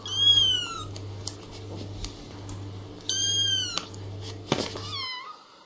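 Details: Kittens playing with their mother cat indoors; clear high meows, each rising then falling, one near the start, another about three seconds in and a shorter one near five seconds, over a steady low hum.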